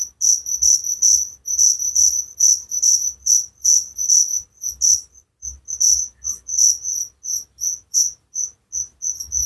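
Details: Crickets chirping steadily: high, shrill pulsed chirps repeating about two to three times a second, with a few brief pauses, over a quiet background with no other clear sounds.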